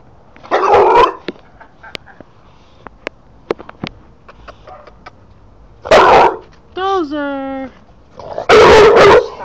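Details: A male English Bulldog, said to be friendly and not one to bark at anyone, gives short, rough, explosive barks spaced several seconds apart.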